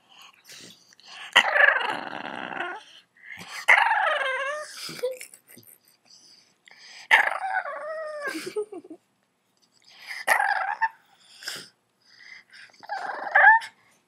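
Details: Bulldog puppy, upset, gives high, squeaky growls that swoop up and down, almost like a dolphin's chatter.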